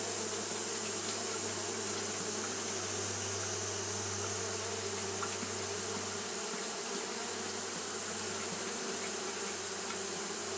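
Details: Japanese honey bees fanning without pause on a hot day, a steady, even droning buzz with a bright hiss high above it and a low hum underneath throughout.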